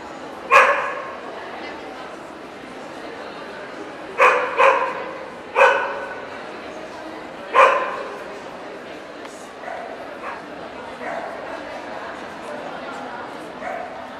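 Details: Welsh Corgi, Cardigan or Pembroke, at the NVP dog show in Ostrava on 14 April 2012, barking indoors: five sharp, ringing barks, two of them in a quick double near four seconds, set against steady crowd chatter in a busy hall.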